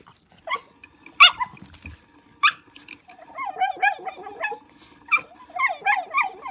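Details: Dog playing with a motion cat toy gives one sharp bark, then a softer second one, followed by a run of short, chirping, rising-and-falling squeaks repeated several times.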